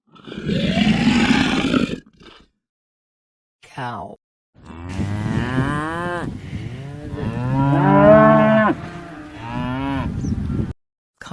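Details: Cow mooing: a long low moo, then a quick rising squeal. Several drawn-out, strongly harmonic moos follow, rising and falling in pitch over about seven seconds with short pauses between them.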